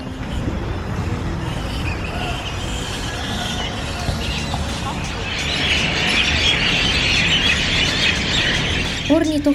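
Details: A colony of large fruit bats, up to about half a metre, in Fiji fills the air with a dense, harsh chorus of overlapping high screeches.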